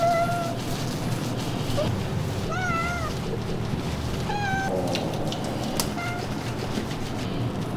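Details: Ragdoll cat with blue eyes being groomed while kneading; several clear meows, some long and wavering, others short and bending downward, spaced about two seconds apart over a constant loud rushing noise.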